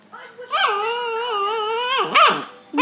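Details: An angry puppy vents at its owner with a long, sustained, tonal whine-growl held steady for over a second, then short rising yelps, while a person repeatedly says "No" in the background.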